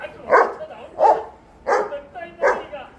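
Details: Labrador retrievers fighting, one giving four short, harsh barks or growling woofs spaced about every 0.7 seconds, with quiet gaps between.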